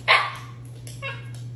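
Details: Pet Siberian Husky talking back when told it cannot have ice cream: one loud, sharp, bark-like yelp followed by a fainter, shorter vocal sound, over a constant low electrical hum.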